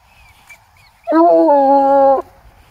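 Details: Bluetick Coonhound that followed a scent to a tree in the woods, giving one long drawn-out bay lasting about a second, a steady rich tone with a brief rising onset, over quiet outdoor background with a faint high chirp before it.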